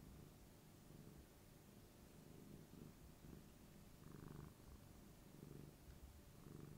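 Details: Affectionate tabby cat purring as it rubs against a person's knee; quiet continuous low purr rising and falling in gentle waves, with faint soft rubbing noises.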